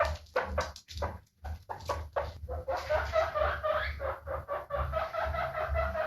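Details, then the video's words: Guinea pig calling with a series of short squeaks that run together into a longer, sustained squealing whine, steady in pitch, with a low background hum. "Efeito sonoro de porquinho da índia"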